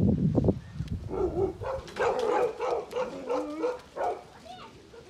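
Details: Tibetan Mastiff, known locally as Bhote Kukur, at a kennel in Okhaldhunga, giving a run of high, tonal whines and yelps that rise and fall in quick succession after a burst of low, rough noise at the start.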